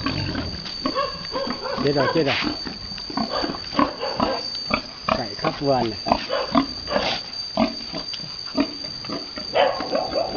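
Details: Vietnamese farm pigs, a boar mounting a virgin female sow: rapid, rough grunts and brief rising squeals come in bursts, mixed with people talking and a steady high-pitched hum.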